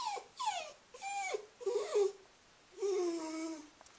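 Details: Female Cairn Terrier Scruffy gives drawn-out nasal whines, several falling or wavering cries with a long steady one near the end, separated by brief quiet gaps.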